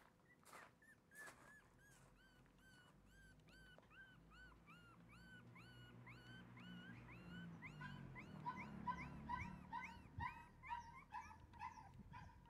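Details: Shiba Inu puppy whimpering steadily, a long run of short high upswept whines repeated about twice a second, rising in loudness toward the end, with a faint low rumble and shuffling underneath.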